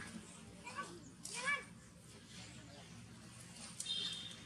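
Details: Newborn baby monkey named Dax, looking weak, with the mother Daisy nearby: two short arched squealing cries rise then fall in pitch within the first two seconds, then a faint high whine later over steady room hiss.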